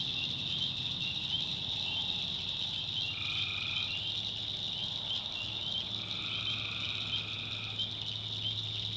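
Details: Tree frogs at night in a North Carolina backwoods swamp give an unbroken high, ringing chorus, while a separate buzzy trill breaks in twice, each burst lasting around one to two seconds.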